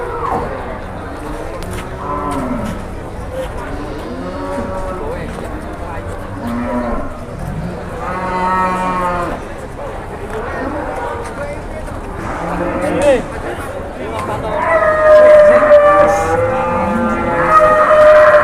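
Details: Large cattle at the Jelok cattle market in Boyolali, Indonesia, in the morning: repeated drawn-out harmonic moos from several animals, some rising and falling, with a busy market background and occasional voices.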